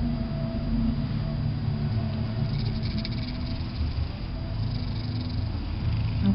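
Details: Domestic cat named Fatboy Babushka lies relaxing indoors while a saxophone CD, Sax By Candlelight, plays. It gives a steady, deep, continuous rumbling purr throughout, with soft higher hiss rising briefly midway.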